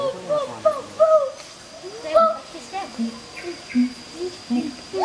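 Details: Two adult siamangs, a monogamous pair at the Schmutzer Primate Center, duet to advertise their territory. Wavering mid-pitched hoots mix with lower, shorter notes in a quick, uneven sequence.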